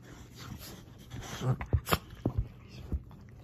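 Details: Bella, a rescued female dog adopted after being abandoned outside a gas station, gives several short, sharp snorts in quick succession. Quiet breathing comes before them, and a person's voice is faintly present.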